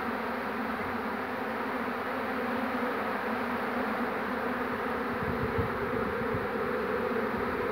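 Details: Honey bees of a swarm on 2 June 2019 gathering to their caught queen. A steady, dense low buzzing fills the clip, with a few low knocks in the later part.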